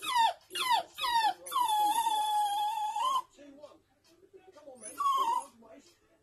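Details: Toy poodle female crying and howling after seeing her owner and her toy poodle brother playing in the back garden; three quick falling whines lead into a long sustained howl, then soft whimpers and one more whine.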